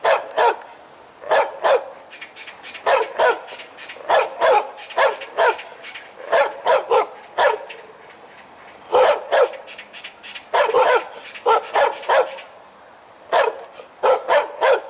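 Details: A loud, full-voiced dog barks while wagging its tail, giving sharp bursts often in doubled pairs and short runs, separated by brief pauses, with little else audible.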